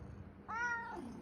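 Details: Male domestic cat indoors in the morning, meowing excessively because it wants attention and cuddling. A single clear tonal meow, about half a second long, rising then falling in pitch, follows a soft low rumble.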